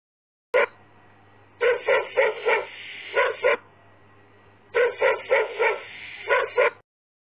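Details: Puppies barking in two bursts of quick, high yapping barks, several in a row each time, with a steady low hum underneath.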